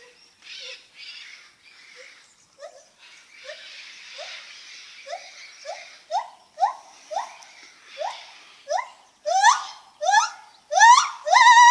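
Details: Lar gibbon making funny noises: soft breathy hoots at first, then a sequence of short rising whoops, about one a second, growing louder and higher, ending in loud swooping upward whoops.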